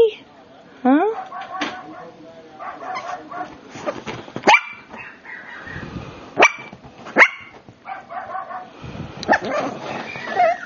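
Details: Brussels Griffon puppy named Donovan giving a few short, sharp yips and barks, scattered and irregular, while a person talks over them in a warm, praising voice in a small indoor room.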